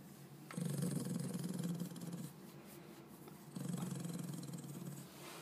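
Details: Max, a yorkie-schnauzer mix born June 13, 2006, tired after his walk and lunch and resting in a dark bathroom, grumbles at being disturbed while sleepy: two deep, rumbling growls indoors, the first about 1.7 seconds long, the second after a short pause.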